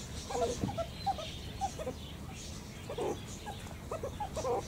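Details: Sparse meerkat chirps, soft short peeps with a few louder ringing notes, separated by quieter stretches over faint background noise.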